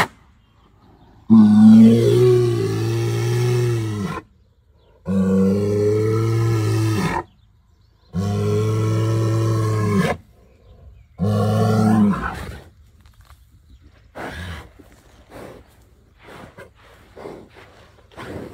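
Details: An upset bull, said to be missing his females, bellows in four long, deep, drawn-out calls, each rising then sagging in pitch.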